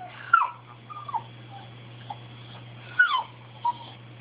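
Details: Dog named Bailey pleading for something he wants, giving short yips that slide downward into thin whining cries, two louder ones roughly two and a half seconds apart, with a constant low hum behind.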